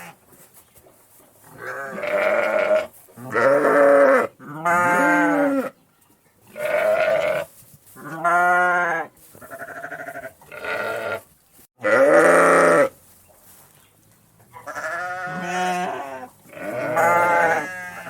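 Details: Countryside sheep bleating repeatedly: about ten wavering, harmonic baas in quick succession, some overlapping as several voices call, loud and soft calls mixed.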